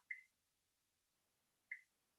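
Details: A water drop frog in the Western Ghats at Wayanad, Kerala, calls from treetops 20–30 m up, giving two short, bright, drip-like 'tuck' notes about one and a half seconds apart.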